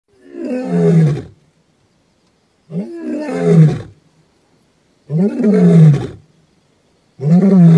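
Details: Male lion named Gomondwane roaring on 28 September 2023 in the wild, likely Kruger area: long deep moaning roars, four drawn-out low groaning calls about two seconds apart, each falling in pitch, with quiet gaps between.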